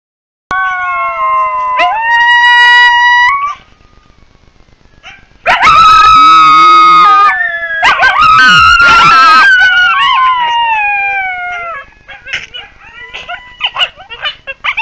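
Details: Wild coyotes howling: long, steady, wavering howls from several voices overlapping, starting after a brief silence, with a quieter gap midway, then a louder group howl that breaks into short yips near the end.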